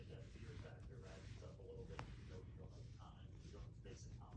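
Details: A content Siamese cat purrs with a low, steady rumble while rolling on a carpet and being petted.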